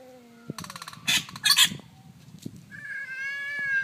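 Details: Two domestic cats, orange and black neighbours, fight for territory in daylight; low growls and clicks underlie explosive hisses, then a high, steady yowl swells at the end.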